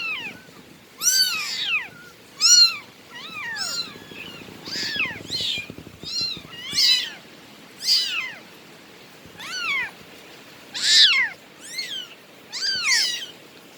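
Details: Bengal cat meowing insistently indoors: about eleven high, clear meows, each rising then falling, repeated every one to two seconds in a steady series, with faint low rumbling between calls.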